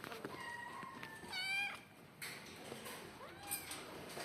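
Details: Pet cats at home, several meows with harmonic tones around mid pitch, one rising-falling cry near the middle, over quiet indoor background with faint voices.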